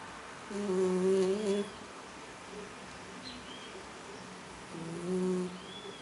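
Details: Cat snoring: two long, low, humming snores about four seconds apart, each with a soft high whistle, and quiet breathing noise in between.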